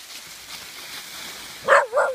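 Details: Dogs Pyper, Butterball and Looey playing and fighting in leaves outdoors, two of them ganging up on Pyper; after quiet rustling, two short, loud, harsh barks close together near the end.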